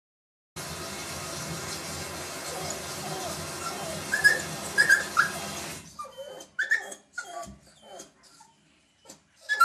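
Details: A Jack Russell Terrier puppy seeing himself in a bathroom mirror gives high, short whimpering yips, first over steady hiss, then in clearer bursts.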